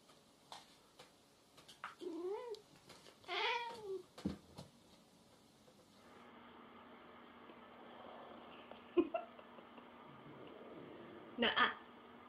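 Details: Domestic cat shown as jealous, meowing indoors: a short run of rising-then-falling wavering meows, then a faint steady hum with a few sharp clicks and knocks.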